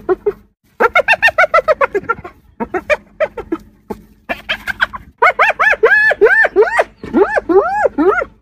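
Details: Spotted hyena laughing several times on the African savanna, giggling in rapid bursts of high, arching, rise-and-fall yelps.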